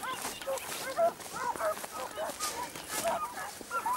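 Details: Segugio Italiano hounds at Sofiko, Evros, on 12 June 2021, giving overlapping, rising-and-falling bays and yelps from several dogs at once, steady and excited, with a hiss of background noise.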